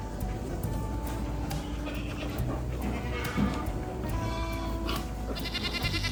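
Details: A goat on a mountain farm gives wavering, nasal bleats, one rising near the end, over steady background music.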